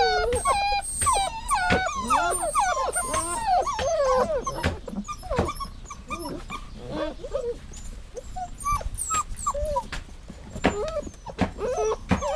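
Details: Dog whining: a burst of rapid overlapping whimpers at first, then sparser short squeaky whines spaced out, with clicks and light tapping between them.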